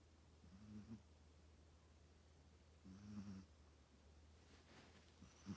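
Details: Chihuahua asleep, giving three faint, low, rasping snores about two and a half seconds apart against a steady low room hum.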